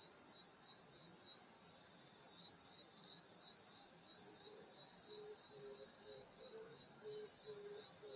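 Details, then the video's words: Grass insects of a rural summer night near a grandmother's house in Korea: continuous high pulsing trills, joined in the second half by a lower repeated short chirping note. "여름소리 풀벌레소리 시골밤소리"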